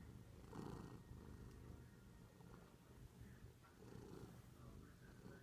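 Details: Male domestic cat purring passionately after its owner returned from a week-long trip, missing them; a low, steady rumbling purr that swells in louder bursts near the start and again around four seconds.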